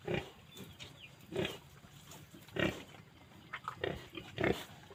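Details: Phu Phan wild boar in Kham Muang district, Kalasin, Thailand, giving five short, rough, broadband grunts spaced about a second apart over a steady low background hum.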